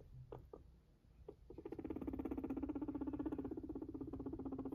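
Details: A male sheltie guinea pig purrs while walking: a low, rapidly pulsing purr that buzzes steadily for several seconds.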